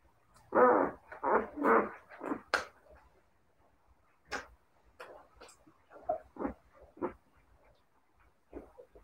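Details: Siberian Husky puppies in a quick run of loud, harmonic yelping bursts over the first two and a half seconds, then scattered short yips and whines spaced about a second apart, fading toward the end.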